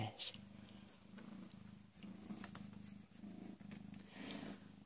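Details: Low pulsing purr from PeeWee, a rescued, recently spayed female cat of about 18 or 19 months. The rumble comes in rhythmic throbs with short pauses, and faint soft human speech sits in the background.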